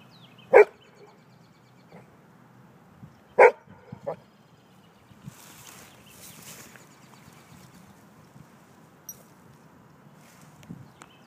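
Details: Golden Retriever playing by a lake while digging for a crawdad, giving two sharp single barks about three seconds apart and a softer yip after, with quiet water and outdoor background.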